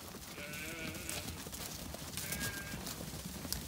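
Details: Zwartbles ewes bleating in wavering nasal calls that rise and fall over a busy background, on a meltingly hot day on a County Kilkenny farm in Ireland, as they are brought up a grassy lane so the lambs can be sorted for a buyer.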